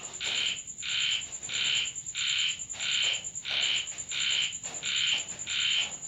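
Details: A frog at a home in Thailand calls at night during rain, giving short, nasal croaks about every half second against a steady high insect whine.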